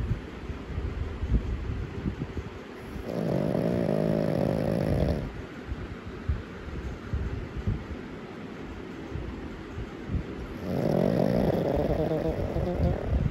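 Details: A black pug puppy, asleep, gives two long, rough, rattling snorts about seven seconds apart.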